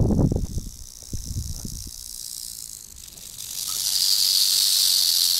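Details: Rattlesnake at a den in Montana, recorded close up on an action camera: a few dull thumps and rustles, then a steady, high, hissing buzz of rattling that swells and holds to the end.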